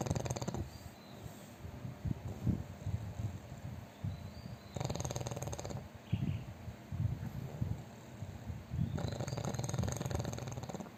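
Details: Fat pug snoring loudly in its sleep, with three harsh snore bursts: at the start, around 5 s and from 9 s onward. Low grumbling breaths fill the gaps.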